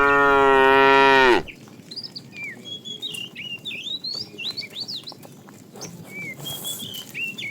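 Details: ['Tame cow roaming the road looking for food gives one loud, long, steady moo lasting just over a second, then falls silent while many small birds chirp and twitter in the background.']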